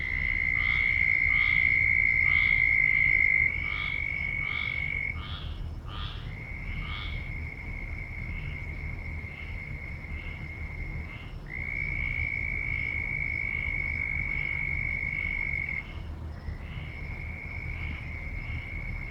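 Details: A loud frog chorus opening with rapid bursts of sharp, bright notes that thin out later, while a continuous high, even tone dominates much of the recording over a faint low rumble.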